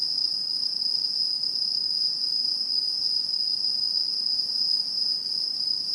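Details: Autumn insect song from Japanese satoyama countryside, 2016: a constant, piercing high trill that never breaks, with a second higher thin band, above low, soft environmental noise.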